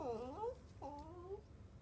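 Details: Newborn puppies of a Jack Russell Chihuahua mix, one of a litter of five lying with their mother indoors, give two short, wavering, tonal squeals that dip and then rise, each under a second, in a quiet room.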